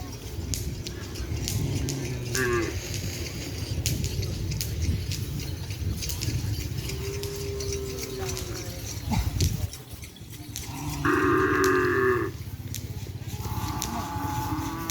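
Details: Cattle at a full-field training session for the kerapan sapi bull race, preparing for a competition at the Asemanis ground; a few short, harmonic lowing calls rise out of constant crowd chatter, shouting and background music, the loudest lasting about a second.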